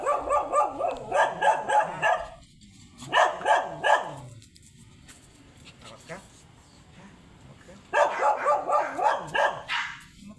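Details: Shih Tzu named Sanji, blue-line coat, on a sidewalk in San Carlos City, Pangasinan, barking in three rapid bursts of sharp, evenly spaced yaps separated by quieter stretches, with a person talking nearby.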